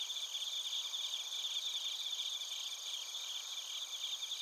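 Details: A chorus of crickets, including bell crickets, in Narita, Chiba, Japan, captured with a TASCAM Portacapture X8; fast high-pitched chirps pulse without pause over several stacked buzzing layers.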